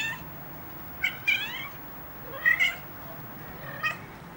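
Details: Ocicat kittens at three weeks old give three high, slightly bending mews, the first two closely paired, roughly every one and a half seconds against low room hum.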